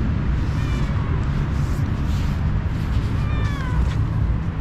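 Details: Hungry, playful cat meowing to ask for food: two drawn-out, downward-sliding meows, one near the first second and another around three and a half seconds, over a constant low rumbling background.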